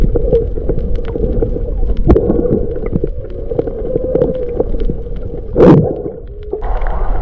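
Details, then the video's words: Maui humpback whales with fish, February 2023: a sustained mid-pitched tonal hum with faint wavering moans, dense crackling clicks, a loud splashing burst near the end, and low rumble throughout. "Fish Mix, Maui Humpback Whales"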